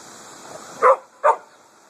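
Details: Walking dog in a cemetery on a hot August day barks at passing vehicles, giving two sharp barks close together, with a high insect whine in the background.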